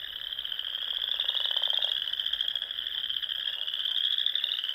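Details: Spring frog chorus from small lakes and ponds in the Sandhills of Nebraska at dusk: a steady, high, rapidly pulsed trilling from many frogs, with a brief lower buzzy trill near the start.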